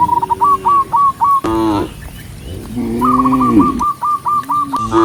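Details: Herded cattle on a countryside path at sunset: brief, lower moos come between long, rapid strings of short hooked whistled notes, which dominate much of the recording.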